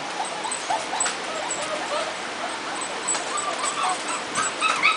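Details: Jitterbug puppies just over a month old, a lively bunch; many thin, high squeaky whimpers and tiny yips overlap continuously over a steady hiss.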